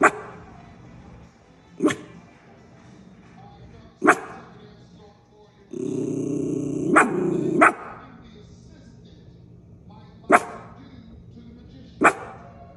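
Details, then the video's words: Miniature schnauzer Paisley guarding her turf with single sharp barks spaced about two seconds apart, a quick double bark in the middle over a burst of louder background noise. "Mini schnauzer making funny noises"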